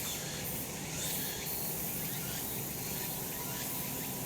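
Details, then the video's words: Sunny summer mountainside with cicadas: an unbroken high-pitched drone, brief brighter bursts near the start, and soft rising strokes later, all above a low rumble. "セミの鳴き声 夏の山 日なた"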